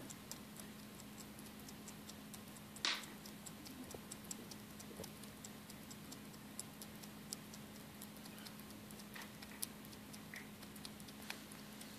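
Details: Regular sharp ticking runs throughout over a constant low hum, with one louder click near the start. No animal call can be picked out.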